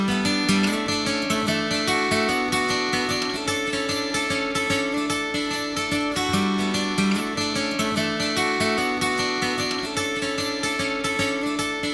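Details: Strummed acoustic guitar music plays steadily throughout, with no animal sounds heard.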